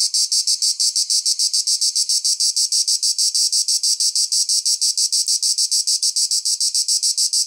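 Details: Cicada song: harsh, high-pitched buzzing pulses repeated quickly and evenly, roughly six or seven each second, with no other sounds.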